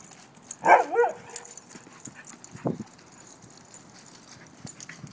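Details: Dog named Nikita during morning rough play, a short burst of rising and falling growly vocalising near one second, then a single brief grunt, with faint rustling and scuffling afterward.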